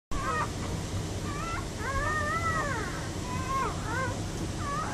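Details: Newborn Giant Schnauzer puppies giving thin, high whining cries that rise and fall in short arched squeals, several overlapping, over a steady low rumbling background.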